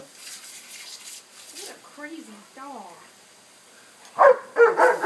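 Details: Remy, a pet dog getting soaked while chasing a lawn sprinkler on Saturday, April 14th, gives a burst of loud, harsh barks near the end, after quieter stretches of human talk and splashing water.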